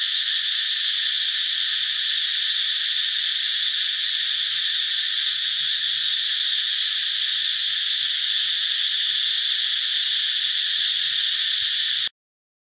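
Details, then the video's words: Cicada in the forest, the loud call of a male heard in the morning and sometimes at dusk: a long, constant, piercing electric buzz that stays level for about twelve seconds, then cuts off suddenly. "จักจั่น แมลงเสียงดังแห่งป่า"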